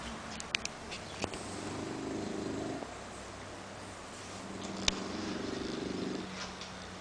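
An English Bulldog snores in long, rough, buzzing breaths, each lasting over a second.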